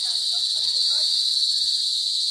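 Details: Loud crickets (kuliglig), many of them, an unbroken piercing high trill filling the whole stretch, with faint low chirps in the background.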